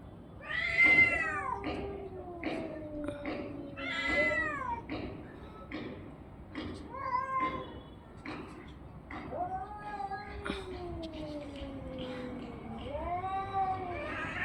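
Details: Orange and white domestic cat making long arching yowls and meows, some rising then dropping, others drawn out and sinking low over several seconds, with clicks and thumps between calls.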